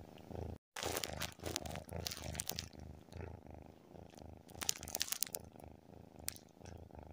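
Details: Low pulsing purr from a tabby cat asleep, each in-and-out breath giving a soft throb, with crinkly rustling noises layered over the first seconds and again near the end.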